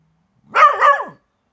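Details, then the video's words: Bedlington Terrier named Doug barking at a grub in the garden, one harsh two-part bark with a wavering, drawn-out tone. "Bedlington Terrier in barking match with grub"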